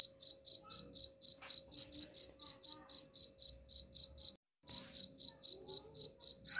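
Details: Cricket sound meant to repel rats: a fast, regular train of bright, high chirps, about four each second, with a short break near the end before the pulsing resumes.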